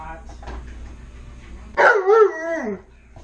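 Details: Tonka, a pet Alaskan Malamute indoors, asking for french toast: one loud harmonic howl-like 'talking' call with wavering, falling pitch lasting about a second, after faint background voices.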